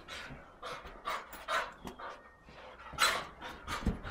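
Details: Excited male English cocker spaniel just after his wash, panting hard in short breathy bursts roughly every half second, with a few sharper huffs and faint thumping movement in the background.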